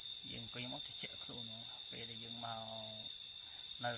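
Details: Cicadas heard while lying down listening during a nature outing in Cambodia: a steady, unbroken high-pitched buzzing drone fills the whole clip, with a man's voice talking over it almost throughout.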